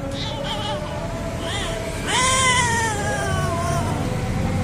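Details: Two cats, an orange one and a striped one, filmed by chance while mating. Drawn-out wavering yowls that swell, rise sharply and slide slowly downward, with shorter nasal cries before. Faint background noise.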